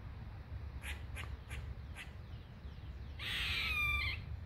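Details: A squirrel high in a tree gives a few sharp chucks, then a loud, harsh, buzzy squeal, taken as its mating call; it is so loud that a listener first thought an animal was being tortured or hurt.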